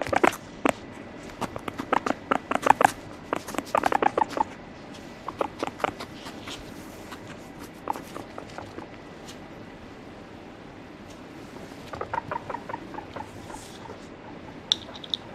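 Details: Guinea pig, a pet, giving irregular series of brief percussive chut-like notes in clusters, some with faint tonal squeaks, over low room noise; a pause midway before a further cluster and scattered clicks.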